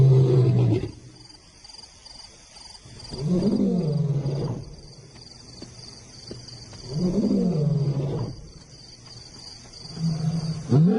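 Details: Lion roaring in a series of deep, moaning bursts, each rising then falling in pitch and lasting about a second, repeated roughly every three to four seconds, with quiet gaps and a faint steady high hum behind.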